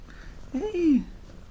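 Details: House cats asking for the door to be opened and missing their owner: one short, drawn-out meow that rises, then slides down in pitch, in a quiet room.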